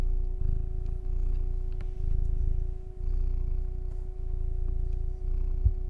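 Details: Loud, deep purring from a male pet cat, a continuous low rumble that swells and dips in rhythm with breathing. A faint steady hum sits above it.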